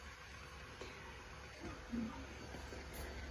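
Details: Quiet indoor room tone with a low steady hum and a few faint soft knocks, with no animal voice.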